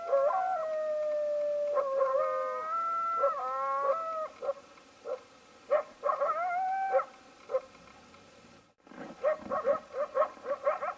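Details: Coyotes interacting and fighting over a bison carcass: several wavering, sliding howls in overlapping voices, then a burst of short, rapid yips and yelps after a brief silence.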